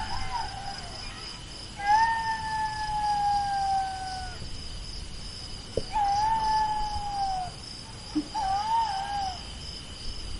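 A jackal gives long, clear wailing howls that slide slowly downward, then shorter wavering notes, over a steady insect hum.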